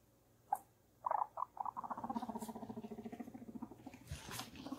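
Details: Guinea pig giving a low, rapid, pulsing rumble, beginning with a few separate squeaky notes and then settling into steady throbbing pulses about eight per second, with some rustling near the end.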